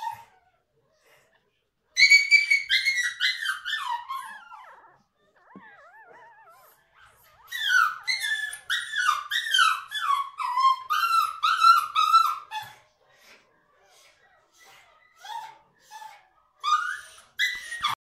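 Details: Few-days-old litter of seven Toy Schnoodle puppies, Miniature Schnauzer mother Opie and Toy Poodle father. Shrill, repeated whimpers, each note falling in pitch, come in long overlapping runs about twice a second with brief quiet gaps.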